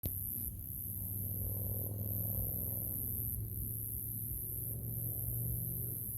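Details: Crickets at dusk: a steady, very high continuous trill with brief dips roughly every one and a half seconds, sitting above a loud, constant low hum.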